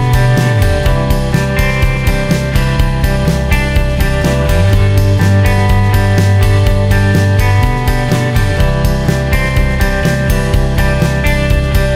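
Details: Loud rock music with guitar and steady drum beat throughout; no animal sounds.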